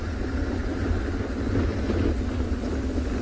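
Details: A steady vehicle engine rumble fills the recording, with no animal sound heard.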